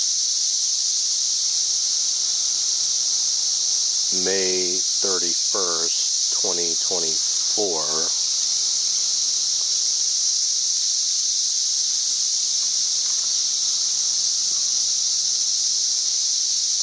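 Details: Chorus of cicadas, May 31, 2024, measured up to around 90 decibels: a constant shrill electric whine throughout, while a man speaks a few words over it in the middle.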